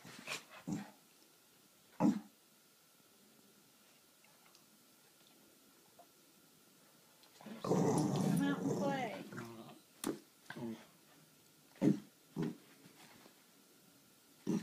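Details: Boston Terrier; growls and whines; wanting to play with a kitten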